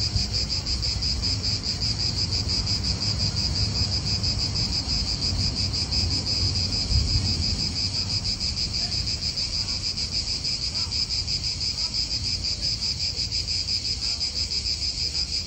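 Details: Continuous shrill cicada drone in a park in Italy, throbbing evenly at a high pitch for the whole stretch, with a low rumble of wind and nearby traffic beneath.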